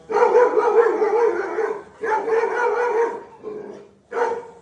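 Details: Drawn-out, tonal barking from Dhoni the Labrador: two long sustained calls over a second each, then a softer trailing one and a brief final bark.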